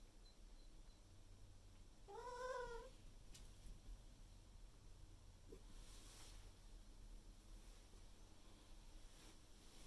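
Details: Morning food demand from Miku, an indoor Maine Coon cat, calling loudly once the owner is awake; one short, strained harmonic meow early on, followed by soft room noises and faint knocks.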